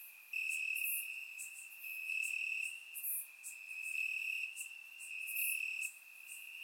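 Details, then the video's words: Night chorus of crickets in Bulgarian summer grass, warm evening: a continuous shrill trill rising in loudness in long swells of about one and a half seconds, with scattered sharp higher clicks. "Cricket Sounds - Crickets Chirping at Night"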